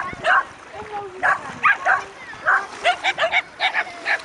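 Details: At a beach reunion on 3 August 2011, a mother dog and her six puppies aged ten months bark in quick, clipped bursts about every third of a second near the end, over a low murmur of voices.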